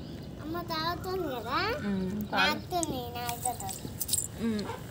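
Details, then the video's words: Hungry puppy crying for its mother, who has gone off and left it; thin whining cries that swoop up and down in quick bursts, mixed with children's and adults' voices talking over it. "ఈ బుడ్డి కుక్క పిల్ల వాళ్ళ అమ్మ కోసం ఏడుస్తుంది ఆకలయితుంది అంట పాపం"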